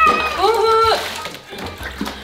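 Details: Lulu, a pet cat, cries while being given a bath indoors: a drawn-out, wavering meow lasting about a second, with a person's voice and splashing water in the background.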